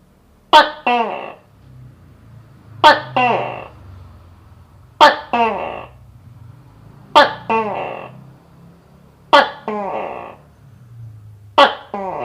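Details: Gecko calling indoors: each call opens with a sharp click, followed by two quick falling tonal notes, repeated every two seconds or so six times in a quiet room.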